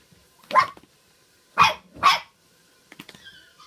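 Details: Poodles at a gathering on the night before Christmas: three sharp, loud barks, one followed about a second later by a quick pair, then faint yips and a brief high whine near the end.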